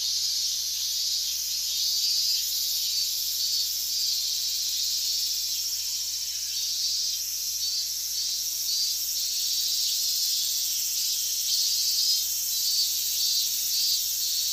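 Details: Dense chorus of higurashi cicadas recorded in August 2011 near the boundary of the restricted zone in Minamisoma, Fukushima Prefecture, extremely loud; a continuous high shrill wall of sound with faint pulsing phrases layered over it.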